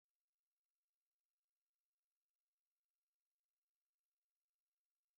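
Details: Thousands of snapping shrimp make a dense, steady crackle like frying fat or rain on a tin roof; each snap of the oversized claw communicates with other shrimp or stuns prey.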